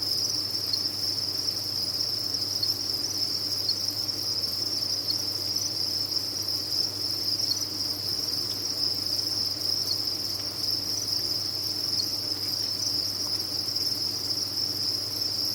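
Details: Crickets kept on a cricket farm, a dense mass of insects chirping together in an unbroken, steady high-pitched trill that never pauses, with a faint low hum beneath.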